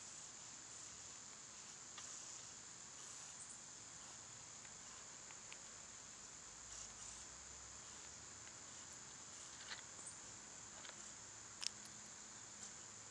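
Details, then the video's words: Cicadas singing in summer: a steady, high, unbroken insect drone hangs over the whole stretch, with a few short, sharp bird chips scattered through it and a quiet outdoor background. "Birds & Squirrels w/ Cicada sounds"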